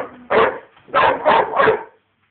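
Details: A 5½-month-old female American Bulldog puppy barking at her teddy: four loud, harsh barks, first a single one, then three in quick succession, with a faint low hum just before.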